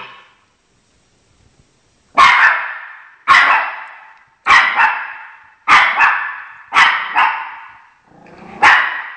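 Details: Chocolate the Shih Tzu barking to guard its territory against dogs on television; after two quiet seconds, around nine forceful barks follow, several doubled in rapid pairs.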